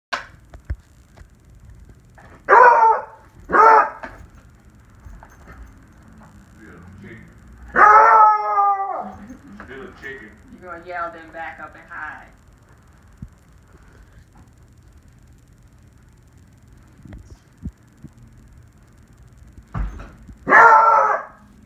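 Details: A 1-year-old beagle gives short, wavering howls and bays in separate bursts.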